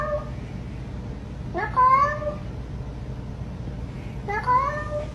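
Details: Grumpy domestic cat scolding, giving two rising, drawn-out meows with clear harmonics, the second about two and a half seconds after the first, over a low steady indoor hum.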